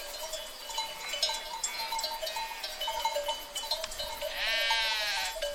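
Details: Sheep herd with a continuous bell-like ringing and scattered clicks, ending in one long, quavering, harmonic bleat close by in the last second.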